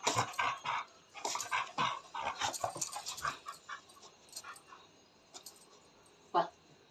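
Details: Jealous pet dog in Nepal complaining after its owner touched and fed street dogs: rapid run of short barks and yelps in the first half, then sparse single yelps, a person speaking nearby.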